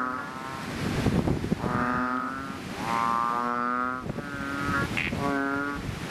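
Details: Chubby frog chorus in a fishpond just after rain: loud, deep, bellowing calls of about a second, repeated every one to two seconds, several frogs overlapping, with a low rumbling background.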